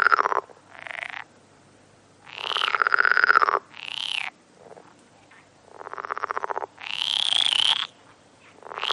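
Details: Frog croaks in separate drawn-out bursts about a second long, each with a rapid pulsed, rattling texture, some higher and rising, others lower, with quiet gaps between them.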